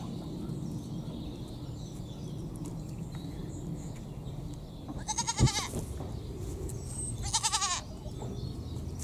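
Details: Miniature pygmy goats, a young pair with tiny horns, resting and bonding together. Two wavering, quavering bleats sound about two seconds apart over a steady low outdoor rumble, with faint bird chirps in the background.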